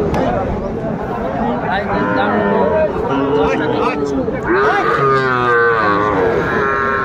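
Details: Sahiwal bull calves at the Tuesday market in Aftabganj, Dinajpur district, Bangladesh, 11 February 2025; repeated wavering moos from several calves, one louder swelling call near the end, mixed with people talking and market bustle.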